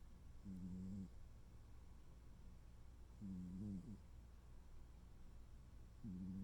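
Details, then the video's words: Sleeping tuxedo cat named Noodle snoring peacefully indoors: low, buzzy nasal snores about half a second long, repeating roughly every two and a half to three seconds, with a quiet room hum between breaths. "tuxedo cat snore"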